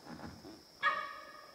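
A sambar deer gives a single abrupt, honking call, loud and harmonic, after a quiet moment.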